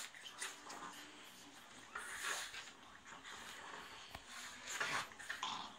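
Pugs snort, grunt and growl in noisy, breathy bursts while play fighting.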